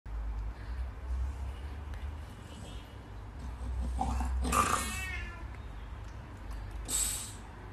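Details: A tiny male Nano French Bulldog, stretching on the floor, gives a squeaky, whining yawn that bends downward, then a brief breathy sound.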